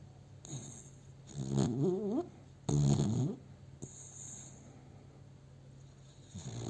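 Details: Domestic dog asleep in its owner's arms, recorded on a cell phone, snoring in two long rasping, rumbling breaths with wavering tone, separated by quiet pauses, then a softer breath at the end.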